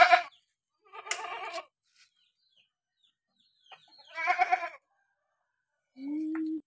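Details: Three short, nasal bleats from an ailing Boer cross goat with a runny nose, spaced a few seconds apart. A steady low tone follows at the end.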